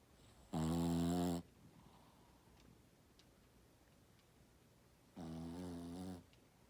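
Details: Snores from a dozing Shih Tzu in a quiet room: one loud, rasping, deep-toned snore under a second long, then after a four-second hush a softer, similar snore.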